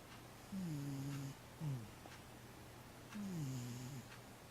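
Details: Dozing 15-year-old cat Matchan lets out two smooth, falling, hum-like tonal snores about three seconds apart, with a brief squeak between them and low steady room hum.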